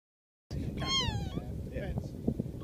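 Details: A single cat meow, a short arched call rising then falling, heard after a moment of silence over a low rumbling background.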